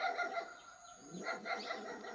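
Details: Puppy in a forest barking at a barking deer, as dogs do when they see something unusual; a short series of harmonic barks with faint background noise.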